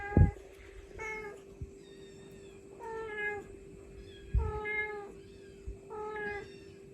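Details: Filmed live, a mother cat calls out to her kittens with five clear, tonal meows at fairly even intervals of about one and a half seconds. A constant background hum and occasional knocks accompany the calls.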